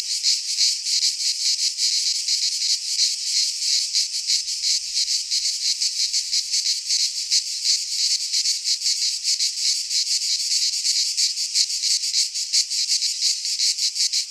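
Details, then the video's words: Cicadas singing in midsummer in a Greek pine forest: a dense, continuous buzzing chorus of high rasping pulses, rapidly throbbing without pause, with no other sounds. "Cicadas singing in midsummer"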